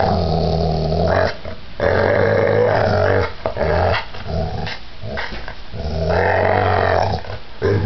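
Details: Pit bull growling during a violent attack; a deep, continuous rumbling growl in long sustained bursts broken by short pauses, with harsh strained tones over it.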